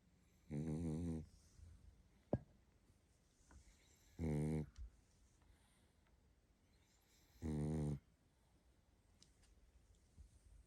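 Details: Tired pug sleeping indoors and snoring: three rasping, droning snores, each about half a second to a second long, spaced roughly three and a half seconds apart, with near silence and a faint click between them.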